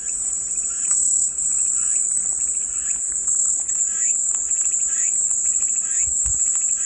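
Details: Shrill cicada song for calm listening, an unbroken high metallic drone that swells slightly in places, with softer scattered chirps lower down and a brief dull thump near the end.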